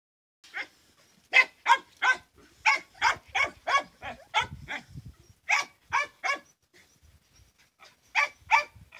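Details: Hunting dogs barking. Sharp, loud barks come in quick runs of two to five, with brief pauses between the groups. A few low thumps and rustles sound underneath.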